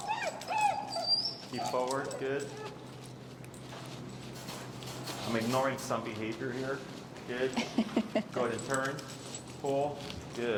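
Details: Extremely vocal feral husky Finnegan, disagreeing with a behavior during heel work as pressure is taught, lets out rising and falling whining moans in repeated bursts, some sliding upward, while a trainer's voice runs alongside.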